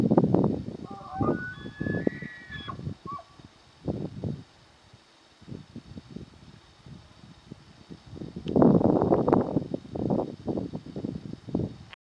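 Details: A bull tule elk bugles while courting cows, with a few yearling calves in the herd, at San Luis National Wildlife Refuge on September 19, 2020: a thin rising whistle followed by a run of deep, rhythmic grunts.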